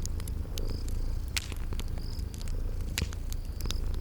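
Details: Low, unbroken purring from sleeping cats blends with popping fireplace crackles and brief high insect chirps heard every second or so, set in a cozy spring garden atmosphere.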